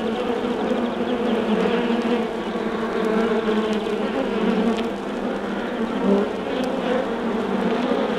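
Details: Continuous buzzing from an undisturbed honey bee hive, a rich steady drone of many bees with small rises and dips in loudness, accompanied by occasional clicks from a vinyl recording.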